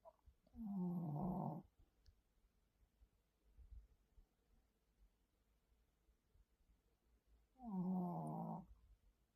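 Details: Shih Tzu snoring indoors: two loud, harsh snore breaths about seven seconds apart, each lasting roughly a second with a low rumbling buzz, separated by quiet breathing in a still room.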